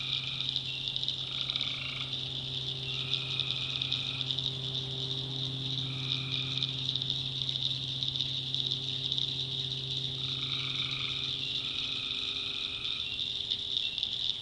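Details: Tree frogs at night in a North Carolina swamp, with short nasal calls repeated every one to two seconds by several frogs, over a shrill high drone and a low steady hum.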